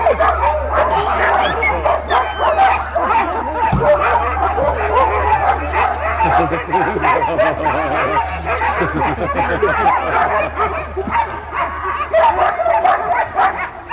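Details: Many sled dogs at Caribou Crossing, Yukon Territory, barking before the sleds take off; a crowded mass of overlapping yelps and barks with a steady low engine-like hum and some human voices mixed in.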